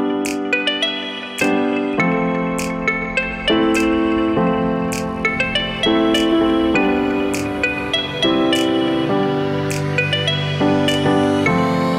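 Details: Piano and electric keyboard music plays continuously with rhythmic struck notes, and no animal sound comes through.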